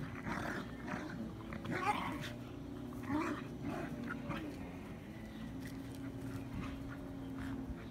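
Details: Irish Terrier in spring giving low, rough growling grumbles in short bursts, with a steady low hum underneath throughout.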